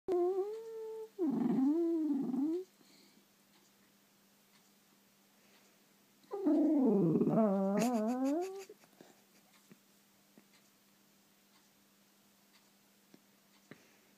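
A Dachshund whines in long, wavering, rising-and-falling moans to get attention.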